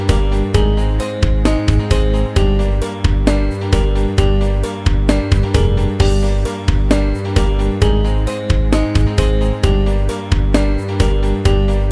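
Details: Loud rhythmic background music with guitar and a steady beat fills the whole stretch, and no animal is heard.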